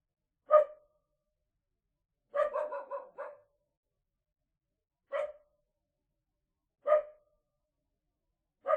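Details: Small dog barking: a sharp single yap, then a quick run of about five barks, followed by three more isolated barks a second or two apart, in an otherwise silent, dry setting.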